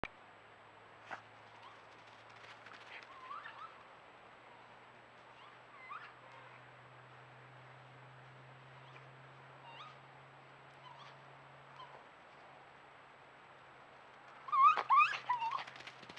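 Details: Two raccoons passing by give soft, high whining twitters, with a louder burst of squeals near the end.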